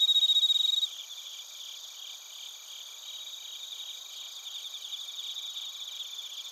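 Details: Bell cricket and cricket voices from Narita, Chiba, Japan, on a TASCAM Portacapture X8: opens with a loud, close, pure ringing trill lasting under a second, then softer rhythmic chirping of many crickets continues.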